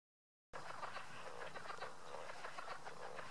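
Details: Leopard frog chuckling in a drainage ditch at Goose Pond, Indiana: rapid, clucking pulses run together into a continuous rattling chatter, several per second, over a steady low background hum.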